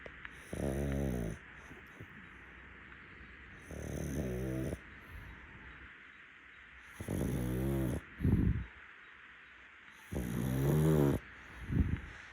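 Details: Muntaro, a rescued pug, napping on a futon, snores in rough, buzzy bursts of about a second each, roughly every three seconds, with a low rattling texture and short snorts between breaths in a quiet room.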